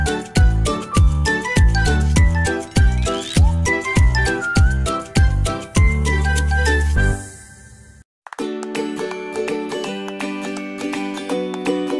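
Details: Bouncy, playful background music with plucked notes and a steady beat, with no animal sounds. After a brief pause it resumes with sustained chords, and still no animal can be heard.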